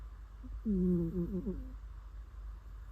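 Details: Sleeping domestic cat snoring indoors: one soft, humming, nasal tone lasting about a second and wavering slightly downward, with quiet room hum afterwards.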